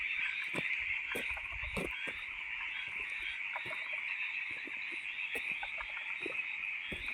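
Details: Frogs calling loudly at night: a dense, continuous high chorus of overlapping trilled notes, steady throughout, with scattered sharp clicks and knocks in the foreground.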